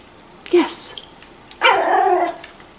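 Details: Miniature Schnauzer puppies, five to six weeks old and known as the Flowers litter, learning to play: a short high squeak, then a longer harmonic whining yelp lasting under a second.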